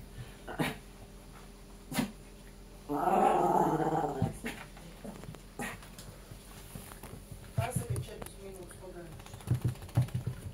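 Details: Jack Russell Terrier indoors, one of a pair named Treisy and Azzuro, giving a rough, harmonic growl lasting about a second, set among clicks, shuffling noises and Latvian speech.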